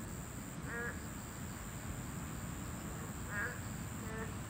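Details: Boreal digging frog, listed as a Class II protected species, calling at its habitat: three brief nasal bleats spaced a second or two apart, set against low rumbling noise and a constant thin high whine.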